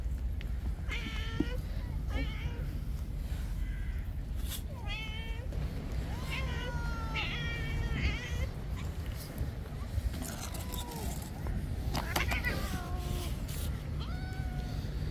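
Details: Many stray cats on an island, rushing out of their cat house on a cold, rainy day at a man's voice: a busy overlapping chorus of repeated meows, varied in pitch and length, over constant low rumbling background noise.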